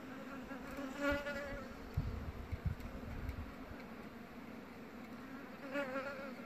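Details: Queen bumblebee, Bombus vosnesenskii, chewing wood. A low steady hum runs throughout, with brief wavering buzz flares near the start and end and a cluster of dull crunching clicks in between.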